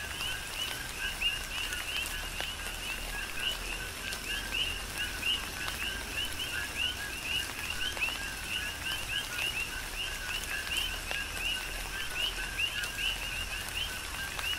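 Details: Many coqui frogs chorus through a tropical rain shower on Hawaii's Big Island, their quick upward-sweeping chirps overlapping continuously in a rhythmic pulse above constant hissing rain and occasional louder drops.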